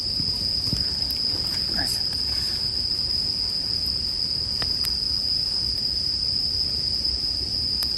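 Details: Steady high ringing of bell crickets accompanied by a campfire, with sharp crackles around the fifth second and a brief faint voice-like sound early on.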